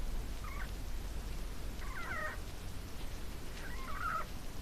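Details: Ginger, a female pet hamster, squeaking in her sleep while dreaming: three short, wavering, high squeaks spaced roughly one and a half seconds apart, the last one the strongest, over a steady low background hiss.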